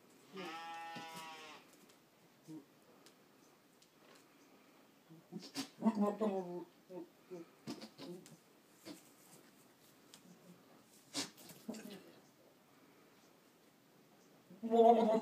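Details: Boer buck goat calling to other goats, recorded 22 October 2013; a clear harmonic bleat opens, then quieter scattered sounds and a couple of short bleat bursts near the end.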